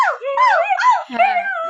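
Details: Husky howling in a run of whining tones that swoop up and down and run together for nearly two seconds.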